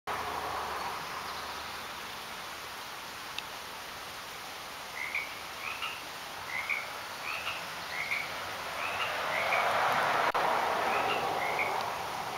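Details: Frogs in a garden giving short chirping calls, each a brief rising-falling note, repeated roughly every half second in a loose series through the second half, over a steady hiss of background noise.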